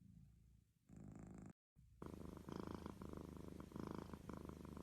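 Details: Purring domestic cat: a quiet rumble opens, a brief total silence follows, then a fuller, rhythmic low purr resumes and continues steadily.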